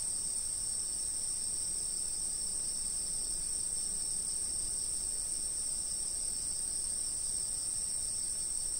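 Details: Steady insect chirping from a fixed-camera recording: a dense, even, high-pitched ringing chorus that never breaks, with a quiet low background hum.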